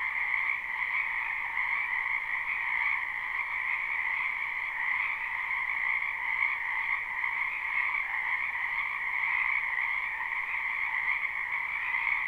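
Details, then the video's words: Spring wetland frogs, numerous, recorded live with no looping: continuous massed croaking that merges into an even, humming wall of sound, steady throughout with no breaks or other noises. "Ambient Noise for Sleep Frogs"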